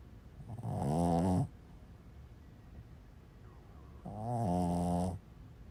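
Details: Snores from a dozing Boston Terrier called a seal dog: two drawn-out, low, vibrating breaths roughly three seconds apart, each swelling and fading, in a quiet room.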